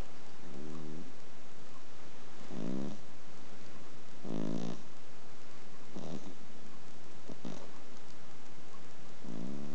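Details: Female Exotic Shorthair cat, adopted three years ago at four years old, snoring while asleep indoors: raspy, rumbling breaths repeating roughly every one and a half to two seconds, six snores over ten seconds.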